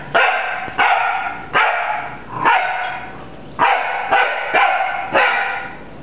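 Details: Puppy named Rafiiki barking at a broom it is fighting indoors, eight sharp harmonic barks with high yelping edges, spaced roughly every half to one second, each ending in a short tail.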